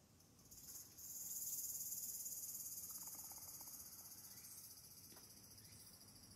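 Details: Tsukutsukuboshi cicada, evening of 8 August 2022, just after the calendar start of autumn: a short rising start swelling into a loud, sustained, high, finely pulsing buzz that slowly tapers off.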